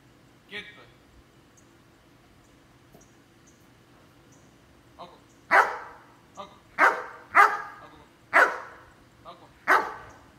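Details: Belgian Malinois named Capitán barking: after a short yelp and a quiet spell, a run of five or six loud, sharp barks spaced about a second apart in the second half, with faint voices in the background.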